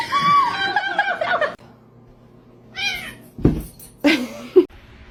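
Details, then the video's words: Kittens mewing: a drawn-out, wavering meow that slides downward over about a second and a half, then a quiet pause, followed by a shorter high meow and a few brief squeaky calls mixed with bumps and handling noise. "Cute Kittens"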